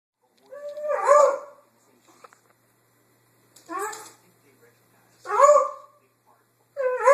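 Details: Lucy, a pet dog, barking at nothing on a Sunday morning, recorded on an Android phone: four loud, harmonic barks with a slight howling rise, spaced about one and a half to two seconds apart, quiet between them.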